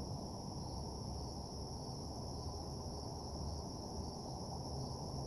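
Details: Night-time crickets near a parking lot give a continuous shrill trill without pause, layered over heavy low-pitched background rumble that dominates the loudness.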